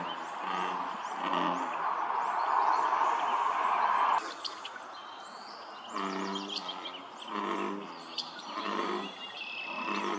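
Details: Several American bullfrogs chorus at Dellinger's Pond, Quincy, California, on 27 June 2023, droning in a deep, rumbling mass of overlapping, repeated croaks.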